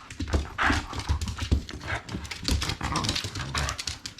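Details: Shiba Inu playing with a ball indoors, a small-mouthed dog that attacks the ball rather than carrying it; low rough growly grunts in short bursts, with thumping and scuffling throughout and a person calling out.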